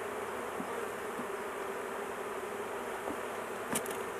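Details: Honey bees buzzing in a thick, unbroken hum as a large hive is handled and its queen is caged to protect her; a brief clatter near the end.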